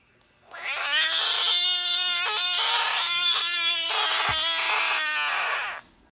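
A Budgett's frog gives a loud, sustained, wailing scream lasting several seconds.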